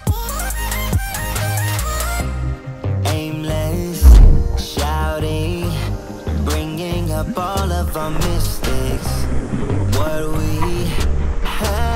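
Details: Loud rhythm-and-blues style music with a thumping bass line and a brief loud burst midway, with no animal sounds.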